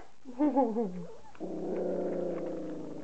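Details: Standard poodle puppies aged 3.5 weeks eating their first meal of soaked kibble; a wavering, slightly tremulous whine in stepped pitches, then a steadier hoarse drone-like whine lasting over a second.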